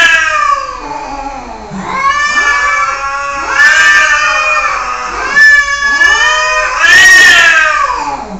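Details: Cat caterwauling in a continuous series of long, wailing, harmonic-rich meows, each rising then falling, about four cries in quick succession with no pauses.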